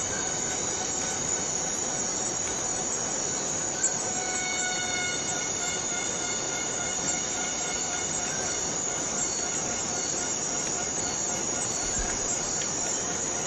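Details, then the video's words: Cicada in the Borneo rainforest: a constant, piercing high hiss carries a layered whining tone that slides in partway through and holds steady to the end. "Borneo Rain Forest Cicada - Cicada sound - cicada noise"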